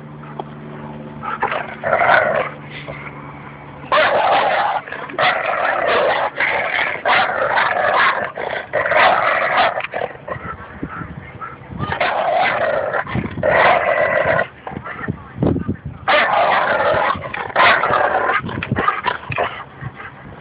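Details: Two dogs, Espy the Bouvier des Flandres and Goose the Labrador Retriever, play tug-of-war at Fernandina Beach Dog Park, with Goose trash talking. Rough, throaty growling comes in long, rolling bursts, with a quieter stretch near the start.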